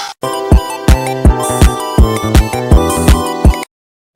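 A short electronic beat with steady kick drums and layered synth chords plays, with no animal sounds.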